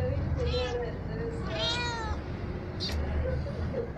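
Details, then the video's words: Little kitten at play with its aunt, producing a few meows, the clearest a rising-falling harmonic cry near 1.7 seconds, with a brief sharp squeak near 2.9 seconds, over low hum and faint voices. "The kitten of Miya playing with Ruby"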